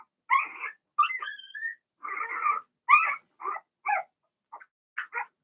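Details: Litter of six Blenheim Cavalier King Charles Spaniel puppies in an indoor pen produce a mix of raspy, buzzy whines and thin squeaks, one rising whistle-like note, with spaced short yelps toward the end.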